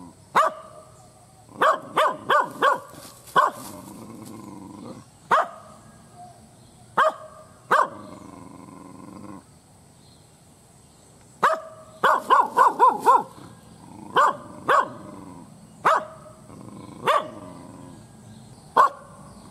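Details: Aggressive village dog barking furiously and scarily, clusters of three or four rapid barks broken by single barks, with a quieter stretch midway before a dense volley of quick barks, over low background hum.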